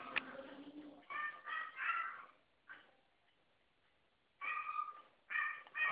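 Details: Female Poodle pleading for affection with short, breathy, harmonic whines in quick bursts, then a quiet gap, then more whines; a person speaks softly at the start.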